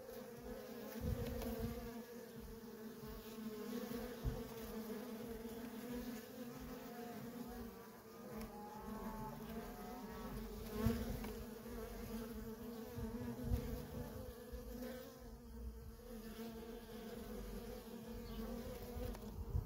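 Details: Long stretch of steady buzzing from worker honey bees at a feral colony in constant flight traffic, an unbroken hum with small swells and occasional louder passes around eleven and fifteen seconds.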